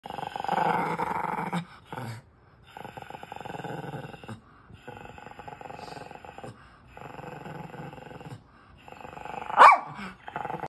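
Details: A Miniature Schnauzer growls at its owners in long, rumbling bursts broken by short pauses, ending with a sharp yap.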